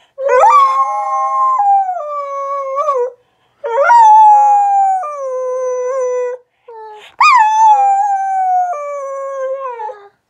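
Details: Three drawn-out howls from a Rat Terrier × Aussie mix dog, each beginning with an abrupt high onset, then sliding down in steps to a lower steady tone, separated by short silences.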